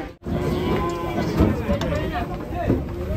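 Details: Sacrificial cow rampaging as it is unloaded from a truck: a drawn-out, hoarse moo with layered harmonics, while men shout warnings close by.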